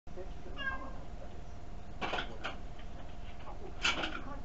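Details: Kuri-tan, a pet cat sitting on a chair begging for food, filmed indoors with a tiny camera, gives one short rising-falling meow early on, followed by clattering and rustling noises in a small room.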